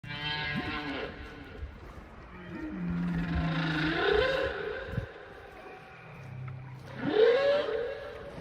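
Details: A big whale in open water giving long moaning calls with rising sweeps near the start and again near the end, plus a low steady hum between them.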